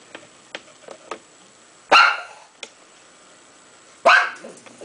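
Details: A pug barks at a cat on a television screen, giving two loud, harsh barks about two seconds apart, with soft clicks and taps between them in a quiet indoor room.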